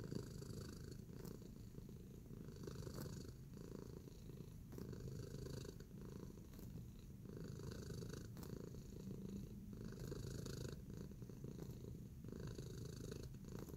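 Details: Tacy, a house cat kneading while relaxed, purrs on in a long unbroken low drone, with faint rhythmic scratching or tapping roughly every two to three seconds over the rumble.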